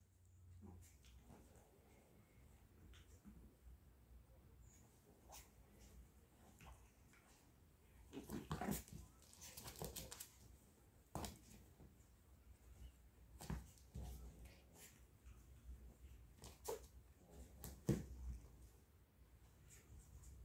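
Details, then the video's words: Chihuahua puppies playing together in Simferopol, Crimea; faint scattered whimpers and small yelps come in short bursts among soft thumps and scuffling, with quiet background between outbursts. "играют щенки чихуахуа"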